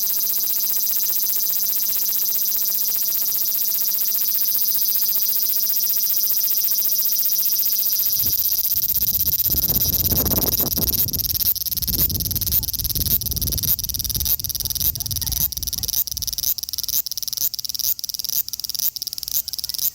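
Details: Osaka city, Japan, 5 August 2019: a male large brown cicada (Graptopsaltria nigrofuscata) sizzles continuously, then about halfway breaks into rapid separate pulses that stutter on, with low handling thumps in the middle; Xperia XZ1 recording.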